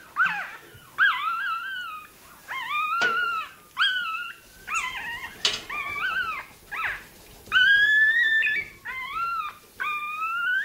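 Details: Toy terrier puppy undergoing tail docking cries in wavering, high-pitched yelps and whines that bend up and down, coming in quick bursts roughly every second over ten seconds.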